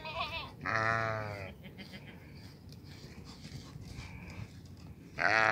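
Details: White improved-type billy goat giving a wavering, nasal bleat of about a second, a shorter bleat at the start and another loud one at the end, with low murmuring in the background.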